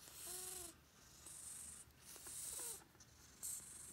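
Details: White odd-eyed senior cat, rescued from Tochigi in October 2018, living with other cats indoors; two short tonal meows, the first gently arched, the second shorter and falling, amid loud hissy high-pitched noise.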